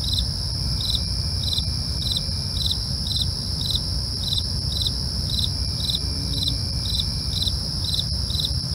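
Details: Crickets chirping after dark, short pulses repeated roughly every half second alongside a continuous piercing trill, with constant low rumble in the background.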